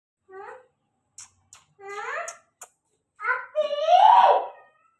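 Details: White Persian kitten giving a series of short, high, tonal meows: a brief cry, two drawn-out wavering mews, then a louder, longer rising-and-falling meow, with a few faint clicks between calls.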